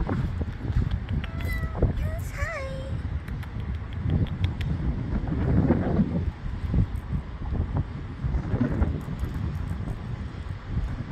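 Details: Stray cats and kittens living by the ocean in Portugal, fed by visitors supporting a local cat rescue: a few short rising-falling meows early on, under strong wind rumble and nearby human speech.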